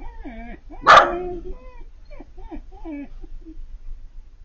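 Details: Four-month-old female Siberian Husky puppy crying at the sight of an older male neighbour dog; one sharp bark-like yelp followed by several short, bending whines at irregular intervals.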